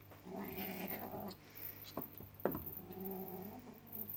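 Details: Cornish Rex kittens give drawn-out, throaty wailing cries in two long stretches, separated by brief sharp clicks and a quieter pause, with a steady low hum underneath.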